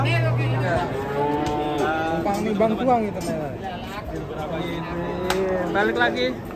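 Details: Frightened, agitated cow resisting being loaded onto a truck gives long, low, drawn-out moos with a steady droning pitch that bends slightly at the ends; human voices and shouting mix in throughout.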